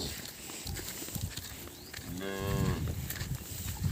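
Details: Cattle calves crying after being separated from their mothers; a single harmonic moo rises in the second half over rumbling background noise, with faint voices and handling sounds earlier.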